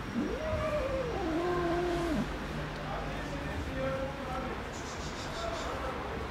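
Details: Istanbul cats kept in a fenced safe zone with cat houses and daily feeding. One long, bending meow lasts nearly two seconds, then quieter murmuring and faint voices continue over a low hum.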